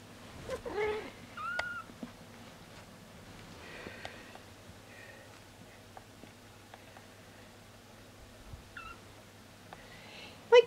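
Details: Siberian kittens, one and a half weeks old, looked after indoors by a nanny cat while their mother rests. They give thin, faint high mews spaced several seconds apart, and a soft clatter is heard near the end.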